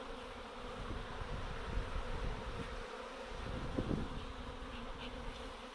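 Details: A honey bee swarm settling on a post and frame as a beekeeper in Siberia catches it gives a continuous, deep, even droning hum of many wingbeats, with faint rustling beneath.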